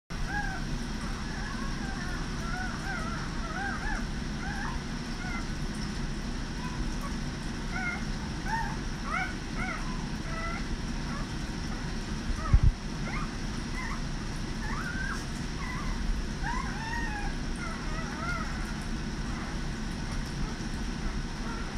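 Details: Vizsla puppies give a scatter of thin, high squeaks and whimpers over a steady low rumble while nursing and sleeping.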